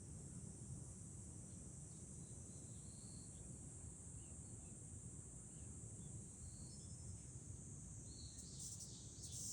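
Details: July cicadas heard from a high vantage point over Fukuoka city, Japan, as a steady piercing drone throughout, with low wind rumble and brief bright bursts near the end.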